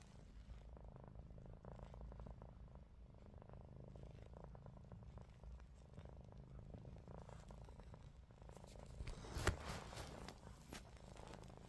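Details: Indoors, the cat Ruby snores with eyes open. A continuous low rasping rumble pulses gently through the breaths, and one sharp tap sounds near the end.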